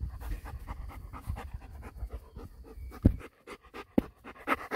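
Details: Male Golden Retriever puppy, six weeks old, panting steadily in rapid breathy bursts, then pausing; a couple of sharp clicks or taps punctuate the later part.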